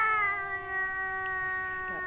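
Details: Tomcat competing with other males for a female during mating season, giving a sustained, even-pitched moaning yowl rich in harmonics that holds for two seconds, with a brief wavering at the end.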